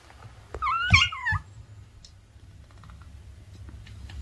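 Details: Pet cat giving a single short, bright meow that rises and then falls over about half a second, followed by a brief second sound and quiet room background.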